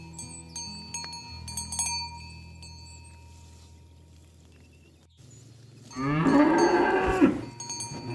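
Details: Ox roaming a rice field, calling its herd friends to return to the barn, lets out one loud drawn-out moo after several seconds of clinking cowbells and low rumbling.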